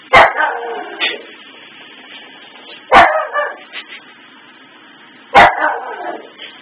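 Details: Pet dog Maggie reacts to Christmas tree lights looping on and off, giving three loud, punchy barks roughly every two and a half seconds, each followed by quieter rough after-sounds.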